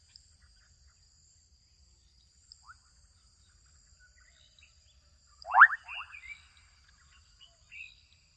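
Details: Juvenile frogs in a Kenyan wetland: after a faint chirp, one loud pulsed rattling call is followed by several softer trailing clicks and chirps, with a steady faint hiss throughout.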